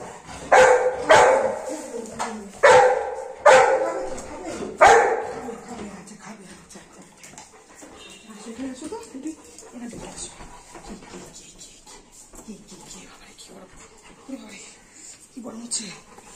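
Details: Golden Retriever named Anna, a pet dog waiting indoors for her mother to come home, gives four loud, sharp barks about a second apart in the first five seconds, followed by quieter low vocal sounds mixed with soft human speech.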